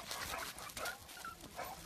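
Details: Barb, a female dog, during playtime, gives short high whining whimpers that waver and rise and fall in pitch, several brief cries packed into under two seconds with some background noise.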